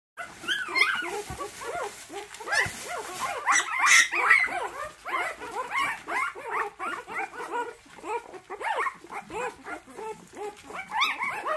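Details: Orphaned puppy that lost its mother, on its third day of hand-rearing: a rapid, dense run of squeaky, rising-and-falling squeals and grunts, several per second, continuing without pause.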